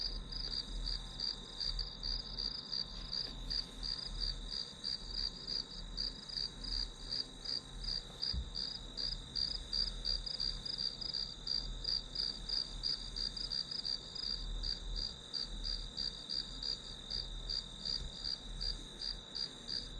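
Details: Steady chorus of grass insects, played as study background noise: rapid high chirps pulsing about three times per second above an unbroken shrill drone, with a faint low hum throughout.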